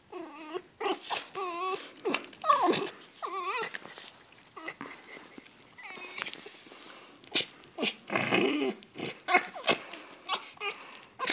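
A fox gives high, wavering whines and squeaky yelps in quick bursts, with a few short sharp chatters.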